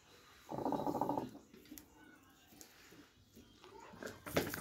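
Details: Doberman Pinscher giving one steady, harmonic whining sound that lasts under a second, followed by quiet shuffling and a sharp clatter near the end.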